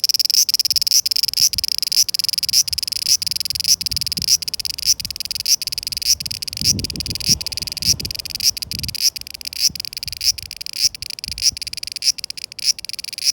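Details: Cicada song in summer 2020, a high shrill buzz broken into a regular series of accented pulses, about two each second, over faint low rumbling and a brief low thudding noise midway.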